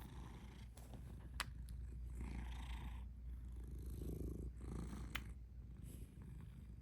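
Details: Pet cat purring at close range: throaty low rumble alternating between inhaled and exhaled phases about every second, with a few faint clicks and rustles.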